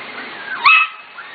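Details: Corgi puppies aged 5-6 weeks from three litters, kept in a barn. A single sharp, squeaky yip-bark rises out of soft whimpering, then fades back into faint whines and a constant background hiss.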